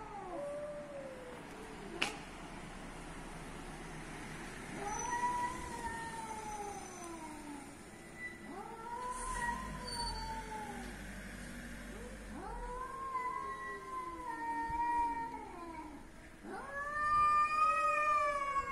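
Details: Cats meowing in Athens, Greece: a run of about six arched, whining meows, each rising then falling, spaced roughly every two to three seconds. The final call is higher and shakier. A faint click and a low background hum are also heard.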